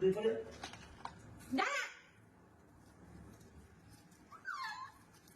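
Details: House cat being bathed indoors with soap and water gives one short meow near the end that arches up and then falls. It follows loud human talking and splashing at the start.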